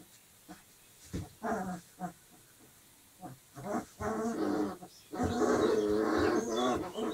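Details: Young Dogo Argentino pups, 25 days old, play-fighting together, make rough, noisy growls in short bursts that merge into a longer throaty growl near the end.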